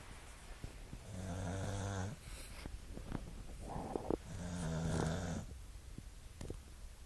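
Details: Staffy, a Staffordshire Bull Terrier, snoring indoors: two long, low, rumbling snores with a harmonic buzz, each lasting about a second, separated by a short pause and softer breathing.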